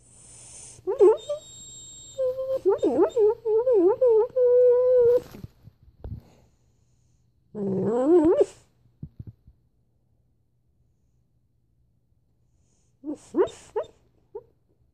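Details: Male dog barking in his dreams while asleep: muffled, tonal whimpering yelps and wavering whines in bursts, a long wobbling whine, then short yips after a quiet pause, in a silent room.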